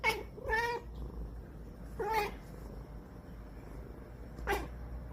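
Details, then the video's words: Sleepy cat whining and fussing before sleep: a quick pair of nasal, wavering cries, a short pause, then two more brief whiny meows, with a low background hum throughout. "잠투정하는 고양이"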